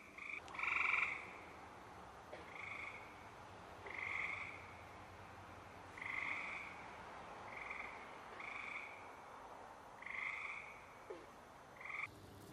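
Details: Frogs calling at night: fairly distant, nasal croaks repeat about every second and a half over a constant hiss of background noise. The first call is the loudest and the later ones are softer.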